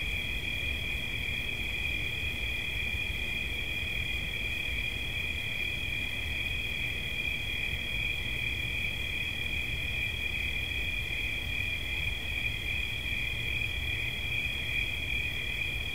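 A cricket gives a steady, high-pitched shrill trill that runs without a break over a low background rumble.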